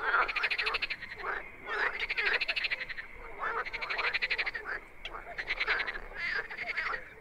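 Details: Wild frogs calling at night in a chorus of rapid, pulsed, rattling croaks. Several callers overlap in loud bursts about a second long, separated by short dips, with a steady background hum of more frogs.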